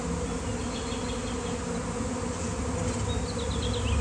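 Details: Swarming honeybees, thousands strong, near an electric line while a beekeeper stands still among them: a dense, even droning buzz, with short chirping bird notes late in the clip.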